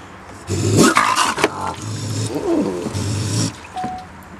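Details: A raccoon trapped overnight in a garbage can with water in Milwaukee gives low, rough growls and snarls in harsh, rasping bursts.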